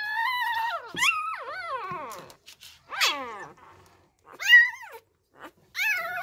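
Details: Newborn Labrador Retriever puppies at feeding time, hand-fed milk because their first-time mother deserted them; piercing harmonic whimpers sliding up then down, repeated cries roughly every second or two, in a small indoor space.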